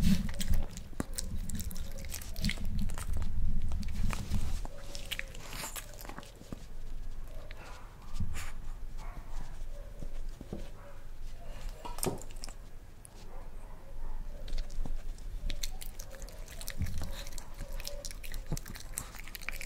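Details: A male Miniature Pinscher, born 2012, eats a boiled egg for the first time, chewing and munching noisily with wet smacking and soft crunching bites.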